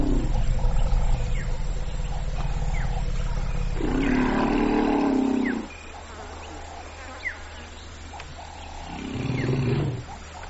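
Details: Low growling rumble from an African elephant, Loxodonta africana: a rich harmonic band surges for about two seconds, then drops away, and a shorter rumble returns near the end over a faint low hum.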